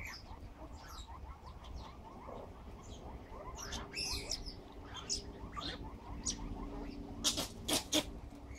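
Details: Baby banded mongooses exploring their surroundings in Westville, KwaZulu-Natal, on 18 October 2016 give rapid, high, squeaky chirps in a steady twittering stream.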